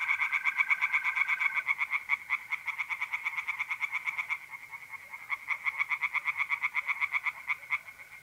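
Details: Pond chorus of tree frogs at night in mid-April, north-east Italy: rapid, regular rattling notes in a continuous stream, briefly pausing then resuming. A smooth, unbroken trill of mole crickets sounds for the first moments.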